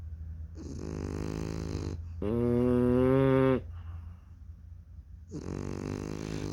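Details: French Bulldog puppies in deep sleep, snoring indoors: a drawn-out nasal inhale near one second, then a louder buzzing, tonal snore from two to three and a half seconds, followed by softer breathing and another snore starting.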